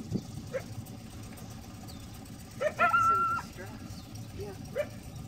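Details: A coyote at Lake San Marcos, California, heard from a boat around 5:30 pm, barks repeatedly for at least 15 minutes in short, sharp alerts, with one drawn-out, steady yelping note in the middle.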